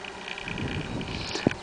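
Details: Honey bees working flowering phacelia of the Melifera variety in a seed crop, June 2017, at a farm in Rediul de Sus, Fălești district, Moldova: a steady low droning hum with faint higher overtones and a short knock near the end.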